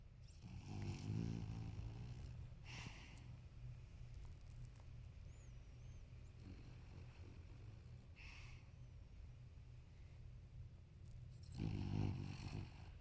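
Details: Thirteen-year-old male toy poodle named Marron, apricot turning gold, snoring monstrously in his sleep indoors; deep rumbling snores with buzzy low texture, loud bursts near the start and end, fainter breaths between, steady low room hum throughout.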